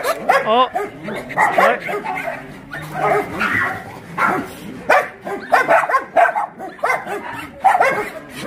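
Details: Shelter dogs at Yangsan's Mindeulle refuge for abandoned dogs bark and yip in short bursts roughly every second during playtime, many voices overlapping, with a person's voice faintly underneath.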